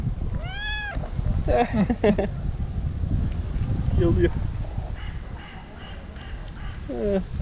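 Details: White tabby stray cat, female and very hungry, meowing loudly next to people after missing them; a clear arched meow opens, followed by short rapid mews and a final rising meow, with Turkish speech and low rumble.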